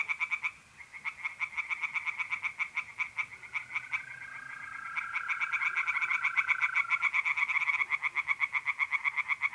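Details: Nighttime chorus of pond tree frogs in mid-April in north-eastern Italy. Dense, quick-fire pulsed croaks build in loudness, with a smooth, continuous mole cricket trill running through the middle.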